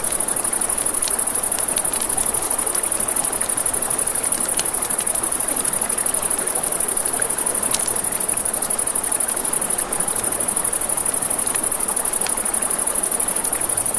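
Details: Night-time crickets beside a river keep up a continuous shrill pulsing trill, while flowing water hisses underneath and a campfire pops and snaps now and then.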